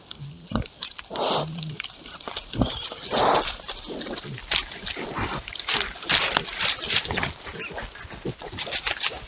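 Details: Wild boars out exploring at night, giving short low grunts and oink-like snorts scattered through the recording amid constant rooting, rustling and crunching sounds close to the microphone.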